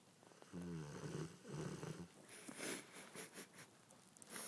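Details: Shooter the dog, sound asleep after Thanksgiving, gives two deep, rumbling snores in quick succession, followed by softer, hissy breathy sounds and faint rustling indoors.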